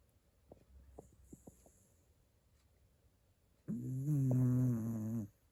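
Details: A sleeping Shiba Inu gives one long, low, droning snore in the second half, steady for about a second and a half, after a few soft clicks and faint rustles in a quiet indoor setting.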